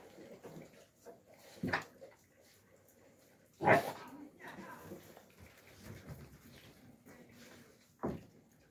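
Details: Alabai puppies, young, filmed in winter 2022, letting out three short sharp yelps spaced about two seconds apart, the middle one loudest, with faint murmuring and soft shuffling noises between them.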